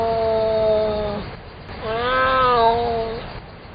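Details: Domestic cat meowing: two drawn-out, tonal meows, the first level and fading after about a second, the second longer, rising then falling in pitch with rich harmonics, separated by a short pause.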